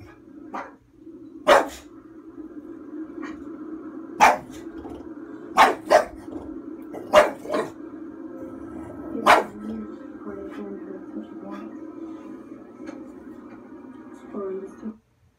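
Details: Female bulldog at home, barking at a horror film on screen in her usual protective reaction. Scattered abrupt barks, some in close doubles, break over the film's constant low soundtrack hum, and the track then cuts out at the end.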